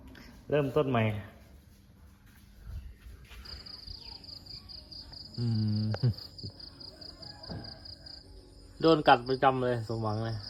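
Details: Household cats squabbling among themselves, with three bursts of low warbling yowls at the start, middle and end, while a steady high insect whine runs through the second half.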